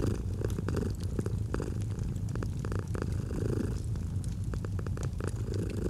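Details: Domestic cat's soft purr, a low unbroken drone with faint rhythmic breath swells, overlaid by frequent snapping and crackling of a fireplace.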